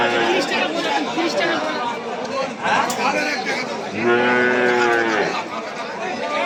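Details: Market cattle in Setabganj, Dinajpur, Bangladesh, 4 September 2024, small cows collected for a Raozan farmer: a dense crowd of men talking, then a clear, drawn-out harmonic moo of about one second breaking through the chatter.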